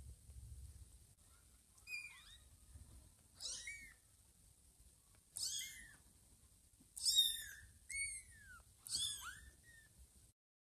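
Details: Newborn kittens around two weeks old mew while nuzzling Ginger, thinking she is their mother Lima; six soft, high-pitched meows with falling tails, grouped closer together toward the end, over a faint steady hiss.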